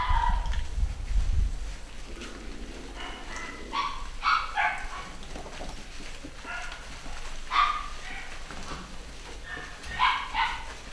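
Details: Basset Hound puppies from a UK pedigree litter, 2015, making thin whining cries and brief yelps every second or two, some rising and falling, with background rumble and soft knocks.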